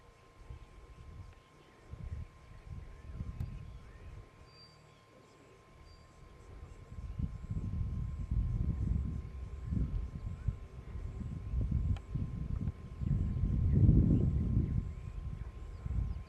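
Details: Casper the white lion and brothers Mfowethu, Casanova and Footloose, wild on the H7 in Kruger National Park, South Africa, roaring: a quiet start building into a series of deep, booming grunts that peak loudest near the end, faint insects above.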